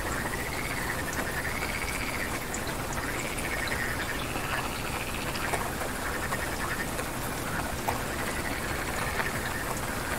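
A rain frog calls with short, arched notes repeated roughly every second over a steady hiss.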